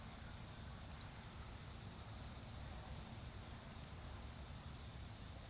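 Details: Autumn insect chorus in a garden by a campfire: a shrill, steady trill broken into rhythmic bursts. Occasional fire pops and a low background drone accompany it.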